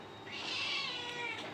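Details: Domestic cat giving a single drawn-out meow lasting about a second, rising then gently falling, with a faint second mew near the end; quiet indoor background.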